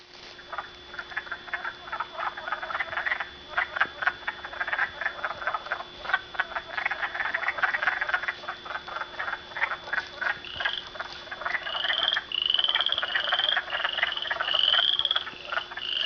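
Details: Frogs calling along Canupawakpa Trail: a dense outdoor chorus of rapid, pulsed croaking notes repeating without pause, with higher, brief trilled calls standing out toward the end and a steady faint hum throughout.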